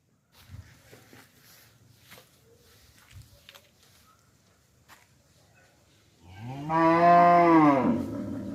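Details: A cow on a village farm gives one long moo, a deep, rich "humboo" after about six seconds of soft rustling and faint knocks, rising slightly then falling away as it ends.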